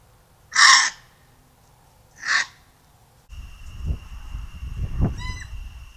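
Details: A gray fox (Urocyon cinereoargenteus), caught on a trail camera in Texas, gives two harsh, raspy yelps about a second and a half apart.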